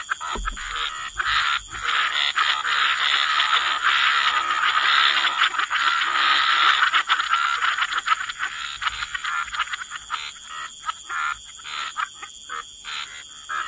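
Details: Frogs chorusing in a waterside wetland: a thick, continuous rasping croak for several seconds, then breaking into fast stuttering pulses, set against a persistent high-pitched background hum.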